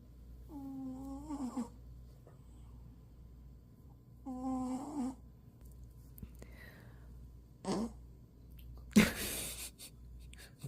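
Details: Boston Terrier fast asleep indoors, giving two nasal, tonal snore bouts about a second long and roughly four seconds apart; a faint rustle, then a loud noisy burst near the end.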